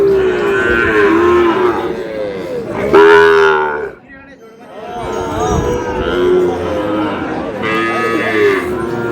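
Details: Cattle market in Noakhali, 24 February, where Sahiwal bull calves are on sale: drawn-out harmonic moos from several animals, one loud rising bellow near the middle followed by a brief lull, then more lowing with faint crowd noise.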